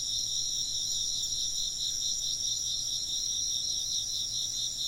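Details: Insects chirping in a dense, steady chorus of high, shimmering trills, several bright pulsing layers sounding together without a break; no other sounds stand out.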